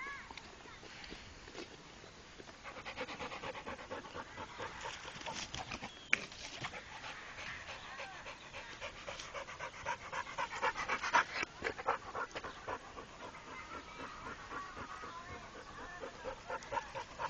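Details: Pit Bull Rako, a trained dog, breathing in uneven pants, softer at first and growing stronger, with a sharp click partway through and faint background noise.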